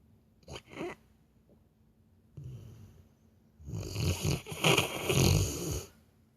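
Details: Labrador Retriever asleep and snoring like a person: short snorts at first, then a longer stretch of irregular, raspy, fluttering breaths with rougher, noisier bursts.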